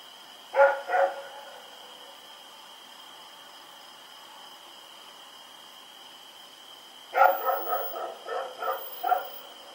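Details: Rex barking as he runs around at night in Pyrga, October 7, 2018; two quick barks open, then after a long silence a rapid string of six or seven barks, steady high-pitched hum underneath.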